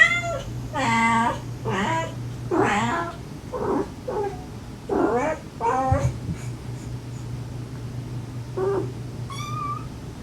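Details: Stray mother cat softly calling her kittens while the kittens answer with sweet, affectionate mews, recorded during a rescue of a mother and five kittens. A run of wavering meows, then a short high mew near the end over a steady low hum.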